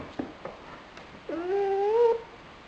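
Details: Lonely nine-month-old pet dog crying on 12 February 2007, indoors: a few faint soft sounds, then one drawn-out whining cry that slides up and holds for almost a second before fading.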